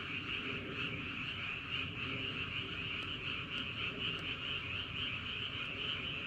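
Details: Massed frogs croaking after dark in Andong, South Korea: a thick, continuous high-pitched trilling wall of sound with a few sharp ticks, and a low rumble beneath it.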